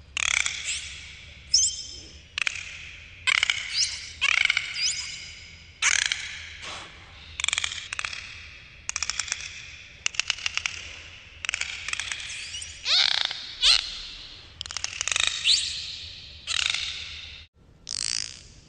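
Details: Dolphins underwater produce a busy sequence of squeaky whistles, harsh buzzing pulse bursts and sharp click trains, repeating in quick bursts about every second throughout.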